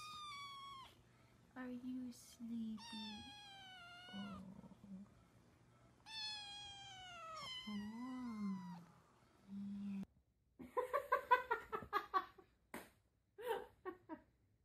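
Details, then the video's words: Cats playing with toilet paper give a run of long, drawn-out meows, each sliding down in pitch and some wavering, separated by short pauses. The meows are followed by a burst of choppy, pulsed vocal sounds near the end. "when cats playing toilet paper"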